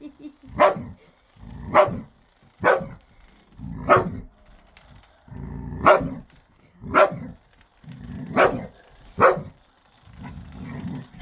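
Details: Playing with his toy like a puppy, a ten-year-old dog barks in a steady run about once a second, with low growly rumbles filling the gaps.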